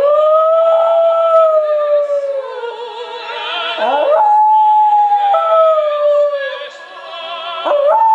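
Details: A West Highland White Terrier sings along to O Soave Fanciulla. Drawn-out tonal howls glide gently downward, with breaks and short rising wavers between them, all mixed with loud vibrato opera voices and accompaniment.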